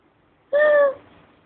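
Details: A cat called Tiger Cat utters one short steady meow lasting under half a second, even in pitch and cut off cleanly.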